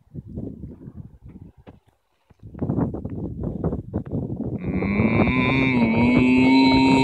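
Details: After several seconds of choppy, rustling noise, a cow on an Irish field starts a steady low moo that holds and grows louder until the end.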